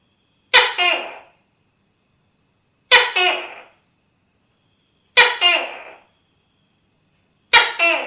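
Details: Four evenly spaced tokay gecko calls, about every two and a quarter seconds. Each is an explosive first syllable followed quickly by a lower, fading second note, in a clear 'to-kay' pattern against silence.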